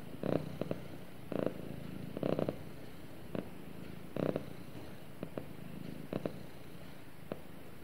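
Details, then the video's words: House cat cuddling with its owner and purring, a quiet steady low hum with clusters of short louder rustles every second or so, some in quick doubles and triples. "Cute Cat Snuggles With Owner And Purrs"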